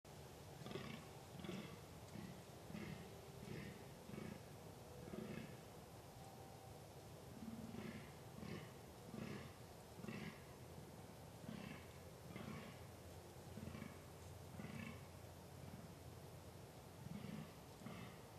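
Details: Wild fallow deer in rutting season, in a quiet forest section, recorded 2 November 2012: faint, low, hoarse groans repeated steadily about every 0.7 seconds over a constant background hiss.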